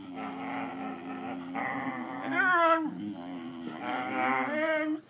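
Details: A pet dog 'talks' for treats, giving a continuous moaning, wavering vocalization that rises into a higher whining yodel and falls back, in an indoor room.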